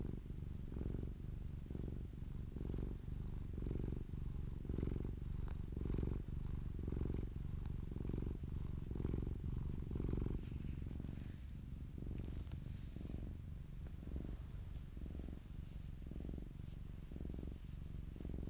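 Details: Popolina, a fluffy house cat filmed close up, purrs in a continuous deep rumble that swells and fades in regular breath-paced waves about every second, with light rustling midway.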